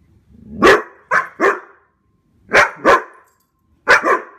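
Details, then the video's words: Two standard poodles barking while chasing deer, protecting their owners; loud, sharp barks in quick pairs and triplets, separated by short silent gaps, with nothing else heard. "Poodle chasing deer"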